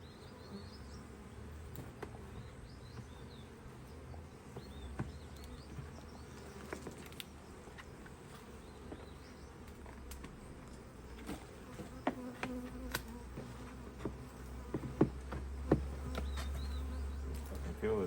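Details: Busy honey bees at an Australian Hive IQ hive opened in mid-autumn 2023 to add a box of empty frames. A continuous low droning buzz carries faint higher whines and scattered clicks, growing louder toward the end.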